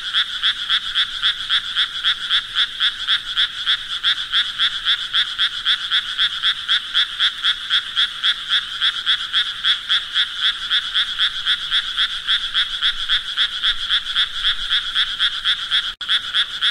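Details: Frogs croaking in a steady, rapid pulsing chorus, about four pulses per second, bright and trilling in tone, continuing without break through the recording.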